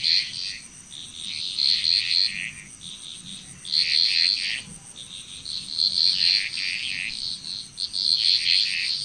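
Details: Frog chorus in Bali, Indonesia: dense overlapping high croaking and chirping bursts in clustered pulses that swell and fade every second or two, over a steady high insect whine.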